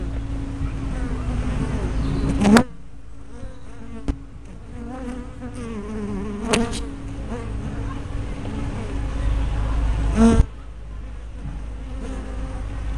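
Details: At a honey bee hive entrance on 24 May 2012, a fisheye-lens spy camera picks up a humming buzz of bees with wavering whines of fliers passing close, broken by a few loud clicks and thumps.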